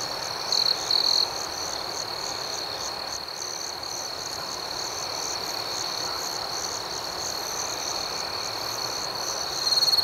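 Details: Crickets chirping through the night in an outdoor setting: a steady high-pitched ringing drone with quick pulsing above it; two short loud trills open the stretch and another swells at the very end.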